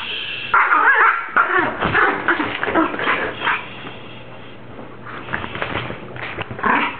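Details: Dog giving strange grumbling, whimpering vocalizations said to resemble a Star Wars character or a baby; short yips and warbling moans come in uneven bursts, louder early on, quieter in the middle, then rising again.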